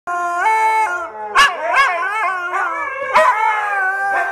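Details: Kodi, a dog just getting the hang of howling, gives a sustained harmonic howl joined by another dog; drawn-out wavering tones break into sharp barks partway through, ending in a mix of howls and barks.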